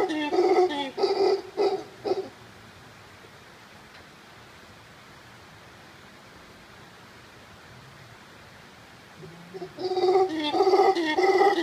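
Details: Monteverde Cloud Forest, Costa Rica, with howler monkeys giving loud, rough, throaty roars in pulsed bursts, falling silent for several seconds, then roaring again strongly.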